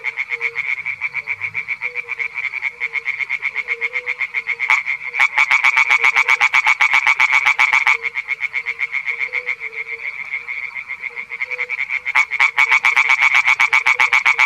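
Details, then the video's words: Male European tree frog (Hyla arborea) singing in a small pond: a fast, steady run of rasping croaks at about four per second, loud and continuous, with a second quieter frog pulsing in the background. "European Tree Frog (Hyla arborea) - male singing in a small pond"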